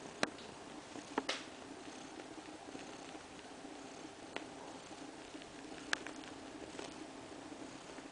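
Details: Indoors in a living room, mother cat Kaewe lies with her two-week-old kittens; a low continuous purring drones on beneath scattered light taps and clicks.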